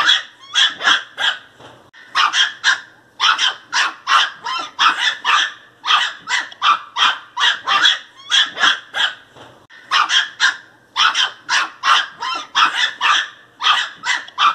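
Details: Angry Pinscher puppy barking fiercely: sharp, high yapping barks in fast bursts of three to six, short pauses between bursts, continuing steadily throughout with no other sounds.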